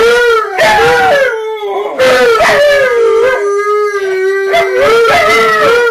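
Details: Alaskan Malamutes left home alone, one howling: long sustained howls with wavering, gliding pitch, rising and falling in connected phrases, with a second voice overlapping at times.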